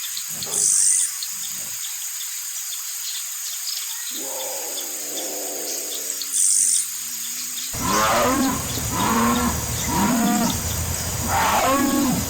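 A jaguar gives a run of deep, rasping grunts, each about a second apart, over a steady hiss.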